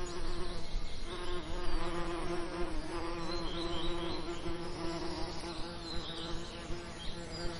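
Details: Summer lavender ambience with close bee buzzing, a loud, deep hum that rises and dips in waves throughout, with soft chirping birds far behind.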